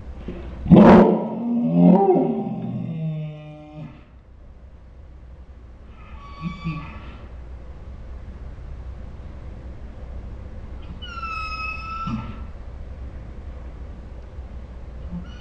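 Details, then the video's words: Saint Bernard dog named Ours making dinosaur-like 'talking' sounds at home: a loud rough groan that breaks into harmonic moaning for about three seconds, then two shorter high whines after pauses. "My Saint Bernard makes dinosaur sounds"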